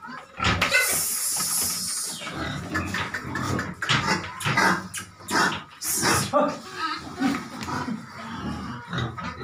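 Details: Feed-raised farm pig squealing sharply at the start, then grunting and squealing in short bursts, with human voices mixed in.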